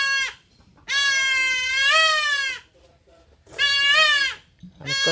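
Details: Castrated goat kid crying out in long, loud, wavering bleats that rise slightly and then fall away, about two full cries with clipped ends at the edges and short quiet gaps.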